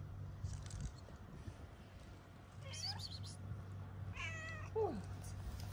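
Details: Street-living tiger cat in Morocco meowing at a person offering food: one thin rising meow, then a longer wavering meow that slides downward at the end. A steady low hum runs underneath, and a person speaks softly to the cat.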